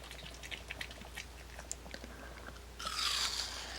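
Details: A dog named Kimdungi chewing apple pieces, with quick, uneven crunchy bites at first, then a brief loud hissing rustle near the end, over a low steady hum in an indoor room.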